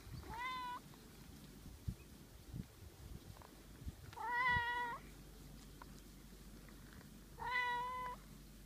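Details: A domestic cat begs to be stroked more with three fawning meows, spaced about three to four seconds apart. Each meow is level and slightly wavering, and faint handling noises sound quietly in the background.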